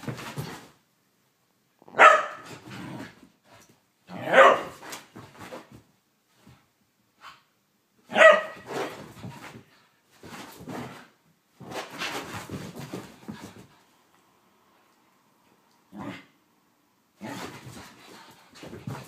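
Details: A whippet having a mad five minutes, going crazy: repeated sharp barks at irregular intervals, some close together, mixed with scuffling and panting-like noise between them.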